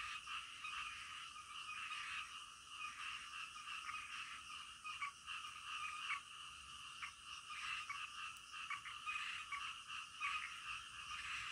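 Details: A chorus of frogs at night: overlapping grating croaks in short bursts over a steady background drone, with a few sharp clicks.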